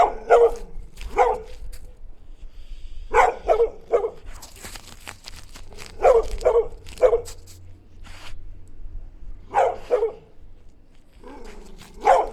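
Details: Dogs barking while playing in the snow: short, sharp barks in quick pairs and triplets, bursts every few seconds with quiet gaps between.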